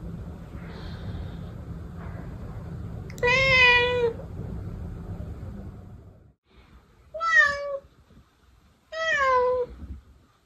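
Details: Three meows from a protected house cat, one long and steady near four seconds in, then two shorter, slightly falling meows later, preceded by a stretch of low rumbling background noise and faint voices.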